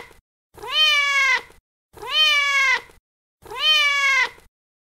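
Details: Cat meows compiled to draw the attention of pet cats: three long, even, harmonic meows with a slight rise and slow fall, spaced about every second and a half, clean silence between them.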